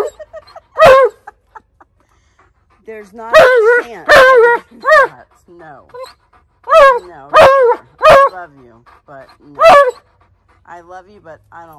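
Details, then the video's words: Alaskan Malamute named Tonka talking back and yelling demands: a string of short wavering yowls and sharp bark-like bursts, irregularly spaced, with a person's voice faintly between calls. "Tonka Yells At Me And Demands Protection of The Rubber Kind"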